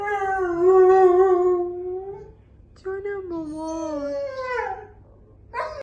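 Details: Domestic dog howling indoors, copying a car alarm heard outside the house: steady tonal howl lasting over two seconds, a short gap, then a bending, falling howl and a brief rising note to close.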